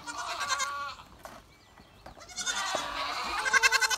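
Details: Rain-soaked goats, said to hate rain even in small amounts, bleating: a quavering cry opens, a near-quiet stretch follows, then a rising chorus of trembling bleats builds toward the end.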